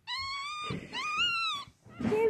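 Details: Chocolate Yorkshire Terrier, one of two young males born April 7, 2018: two long, steady, high-pitched whines with a slight upward bend, then a brief, lower whimper.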